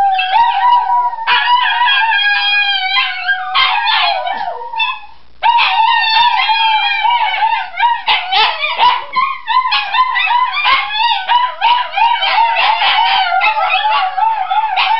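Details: Dogs named Enzo, Iris and Basilio in a howling chorale, long steady howls layered with higher warbling voices, a brief pause near five seconds, then denser overlapping howls broken by short yips and whimpering notes.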